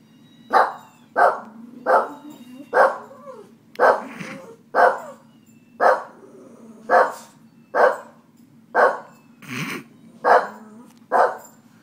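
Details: Annoyed household dogs bark steadily, about one loud, punchy bark per second across the whole stretch, a few notes rougher or lower, with a low steady hum underneath.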